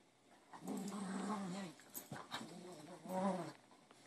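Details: Adopted spaniel growling while playing with cardboard indoors, a toy she throws, leaps after and catches in midair; low rumbling growls in two bursts, the first about a second long, the second shorter, with faint handling noise between.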